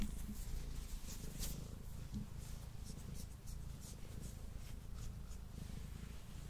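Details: Male domestic cat purring indoors, close to a Blue Yeti microphone during an eating session: a steady, low rumbling purr with even pulsing throughout, some faint clicks and small rustles above it.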